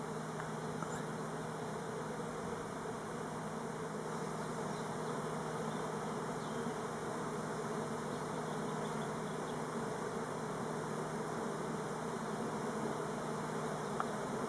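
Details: Elgon Buckfast honey bees flying orientation flights on Timrarö by Stockholm rather than swarming; a dense, even buzz of many bees over a low steady tonal hum, with a brief click near the end.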